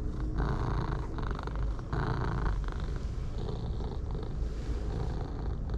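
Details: Contented purring from orange tabby cats, one dark and one pale, enjoying being stroked; a low, pulsing rumble rises and falls with each breath, a few bursts louder than the rest, against soft rustling.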